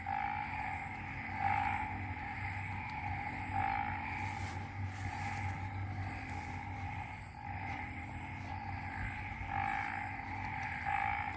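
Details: Frogs calling together in Ubon Ratchathani, Thailand, following a night of rain; a continuous two-toned drone overlaid with brighter ringing notes pulsing roughly every two seconds, over low ambient rumble.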